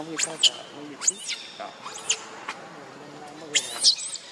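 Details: Monkey in a group that includes Lucie and Rainbow, with Lucie said to be jealous of Rainbow: high, thin arched squeals come roughly once a second, each rising and falling sharply over a soft murmur of background noise.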